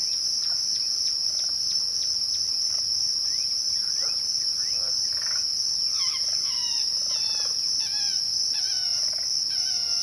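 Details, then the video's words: Twilight crickets give a continuous shrill, even trill throughout. Many birds call over it, first with quick sharp ticks, then with rising and falling whistled chirps in the second half. "twilight crickets"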